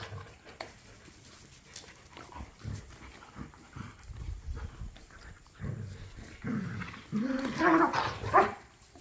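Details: Pit bulls and a Malinois playing in a back yard, toys and tug of war: repeated low growls through the first seconds, then louder harsh snarling barks and yelps near the end.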